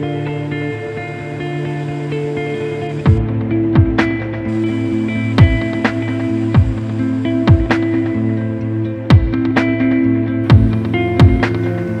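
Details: Loud ambient guitar music with regular plucked beats fills the whole stretch, and no animal sound stands out.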